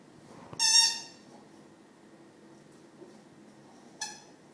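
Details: A male Rottweiler making weird noises at his owner's feet gives a sharp, high squealing whine, then a second brief squeak a few seconds later.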